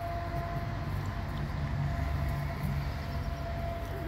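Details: Continuous low rumble like a passing train or vehicle dominates, with a faint steady tone above it and no animal voice.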